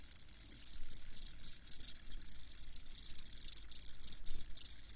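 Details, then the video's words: Crickets chirping: a dense chorus of rapid, very high, shrill pulses, with one nearer caller trilling in short bursts that repeat several times a second and grow more frequent toward the end. "Crickets Chirping"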